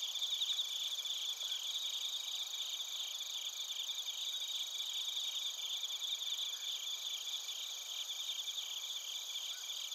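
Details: Night insect chorus of bell crickets and crickets from Narita, Chiba Prefecture, Japan, recorded on a TASCAM Portacapture X8: high-pitched tremolo trills, slightly stronger at the start, then an even, sustained wash of chirping.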